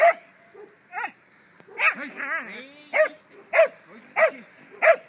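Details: Young German Pinscher in protection training, mixing whining, yelping wavering cries with several sharp barks spaced about half a second apart toward the end.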